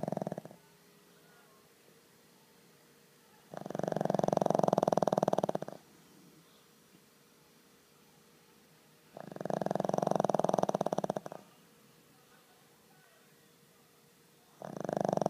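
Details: Pug named Skol asleep and snoring: long rasping, buzzy breaths about two seconds each, repeating roughly every five to six seconds with quiet pauses between, plus a faint steady hum underneath.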